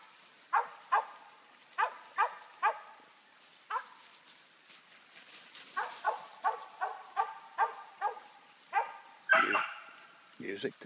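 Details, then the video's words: Treeing a squirrel, the dog Bigun barks repeatedly outside, sharp single barks spaced about half a second apart in uneven runs, ending with a louder, rougher howling bark and some handling noise. "Squirrel dog"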